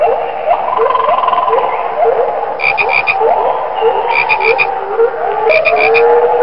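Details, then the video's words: Loud frog chorus of overlapping low trilled croaks rolling on continuously, punctuated by short bursts of rapid high clicking notes repeated three or four times in quick series. "كيف يبدو صوت الضفدع"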